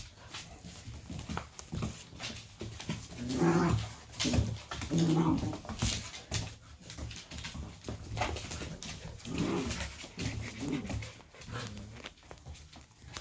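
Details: Golden retriever puppies play indoors on a cozy evening with siblings, parents and an aunt; soft whimpers and low growly grumbles come in short irregular bursts over quiet room noise.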